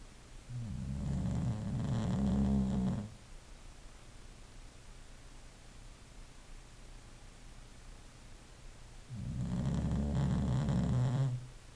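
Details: English bulldog snoring: two long, low, rumbling breaths about three seconds each, separated by roughly six seconds of quiet, with a steady background hum.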